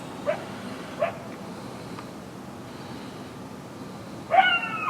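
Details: Coyotes at night, close and loud: two short, sharp barks a second apart against a quiet background, then a longer wavering yip-howl with rich overtones near the end.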